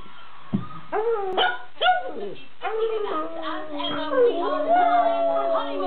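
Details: Pug dog barking and howling: a few short, sharp rising barks, then a long, steady, tonal howl that wavers in pitch with rich harmonics and continues to the end.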